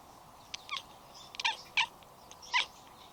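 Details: Kitten chattering while watching birds, a rapid machine-gun meow: short clicky high chirps in quick bursts, about four clustered calls over three seconds, over a steady low hum.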